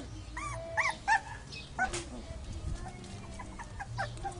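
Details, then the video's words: Dogs fighting: a string of sharp, high yelps and whines in quick succession during the first two seconds, then fainter scattered yelps over a steady low rumble. "Dogs Fighting"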